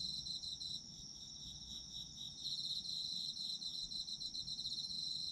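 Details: Several autumn insects trill together in a high, fast-pulsing chorus, the chirps growing denser and louder in the second half, with soft low rumble beneath.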